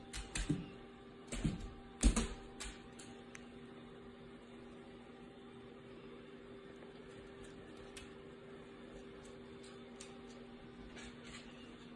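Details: Steady low electrical hum indoors with a few soft knocks and clicks in the first seconds; no animal voice is heard.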